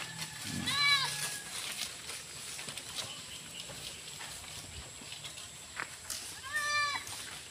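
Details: Young goat kids, being given B-complex vitamin shots, bleat twice: a short high wavering cry near the start and another toward the end, with steady hiss and faint human talk between.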